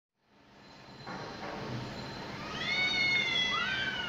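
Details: Two cats facing off at sunset, fighting for leadership of their area. Drawn-out, wavering high yowls with rising and falling harmonics swell in the second half and grow loudest near the end, over a faint low hum.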